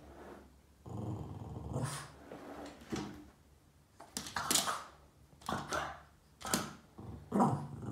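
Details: Upset at shadows it chases across the wall, the Boston Terrier named Yoda growls in an indoor room: a long throaty rumble early on, then shorter growling bursts broken by clattering taps and scuffs.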